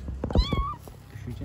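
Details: Stray kitten playing on the street gives a single short meow that rises and then falls, while a woman speaks Turkish nearby.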